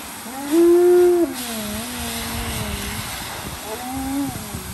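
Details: Tonka, an Alaskan Malamute, unhappy and crying like a baby: a long, wavering, tonal howl-like whine of about two seconds, then a shorter rising cry near the end, with a steady faint background hum.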